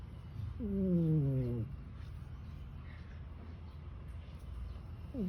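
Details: Domestic cat sleeping after a tiring night, snoring like a human: a long, falling, voiced snore lasting about a second, a quiet pause of several seconds with low hum, then the next snore beginning.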